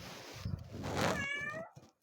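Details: A cat said to be talking lets out a drawn-out meow that rises then bends down, preceded by rustling and low indoor noise.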